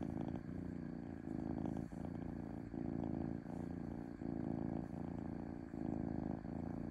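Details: Smooth domestic cat purr, a low throbbing rumble broken into regular breath cycles of under a second each, with short quiet gaps where the breathing turns.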